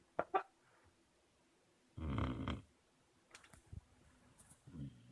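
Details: A puppy asleep gives one rough, breathy snore lasting about half a second. Short clicks and soft rustles come before and after it in an otherwise quiet indoor space.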